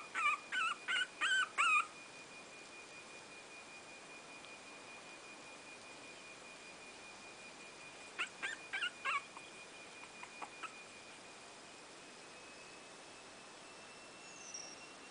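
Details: Three-week-old Brazilian Terrier puppies squeal in short, wavering, high yelps: about six quick cries in the first two seconds, another burst near eight seconds, then fainter squeaks, over a steady faint high hum.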